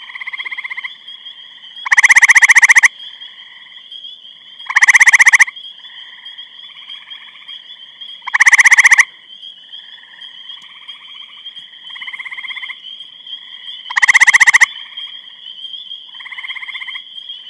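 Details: Chorus of grey treefrogs in Eastham, Massachusetts, 23 May 2012; a close frog repeats a loud, fast pulsed trill roughly every three seconds, four times, while quieter neighbours trill between and a steady high whine persists.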